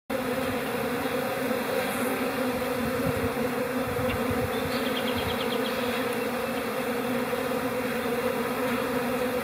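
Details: Calm honey bee colony in spring, April: a steady, unbroken droning hum with a low fundamental and a brighter overtone, holding an even loudness throughout, with faint higher chirps near the middle.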